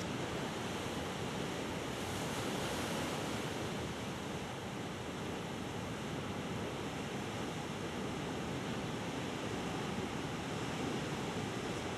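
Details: Steady roar of surf and wind buffeting the microphone, with no animal voice anywhere.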